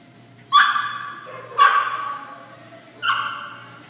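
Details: Pekingese named Beauregard barking three times in about four seconds: bright, ringing yaps, each with a sudden onset and a trailing tail, the third slightly softer, over a low steady background hum.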